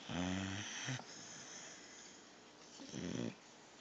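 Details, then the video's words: A pit bull puppy named Thor snoring in his sleep: a deep, buzzing snore at the start, then a fainter, shorter rasping one near the end, with quiet breathing between them. "Thor snoring. (pitbull puppy)"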